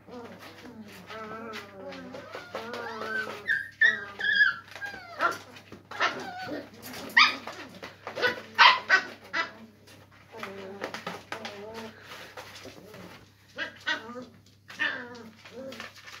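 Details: English Springer Spaniel puppies playing together in a cardboard box, giving a busy run of squeaky whimpers, whines and high yips, some overlapping, with bursts of scuffling throughout.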